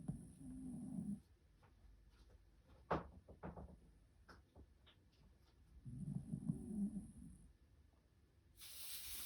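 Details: Sleepy white Shiba Inu snoring: two separate low, rough snore bouts several seconds apart, with quiet clicks and small knocks between them and a burst of hissy noise at the close.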